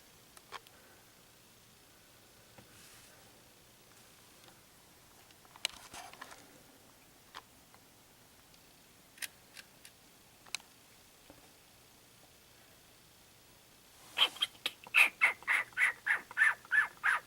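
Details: Three young baby raccoons at a door; after quiet ticks and clicks, a late burst of about nine rapid, high, chittering pulses repeats in quick succession, followed by a person's surprised voice.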